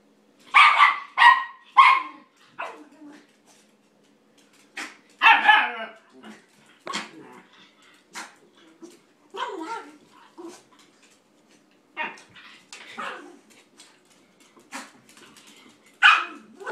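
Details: A 9-week-old German Shepherd puppy named Bella tries to play with an 11-year-old toy poodle named Gracie, giving sharp, bright yips and barks in short bursts with pauses, some in quick doubles, indoors.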